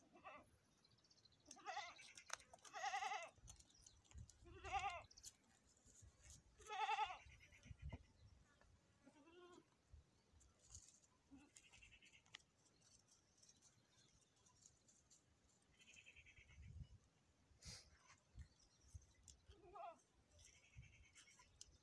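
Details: Goat at a premature birth, several wavering harmonic bleats clustered in the first seven seconds, then sparse fainter calls and clicks amid background noise.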